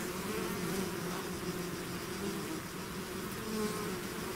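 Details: Bees swarming out of their hive make a continuous, low-pitched droning buzz. Brief louder whines rise and fade as single bees fly close over the even hum.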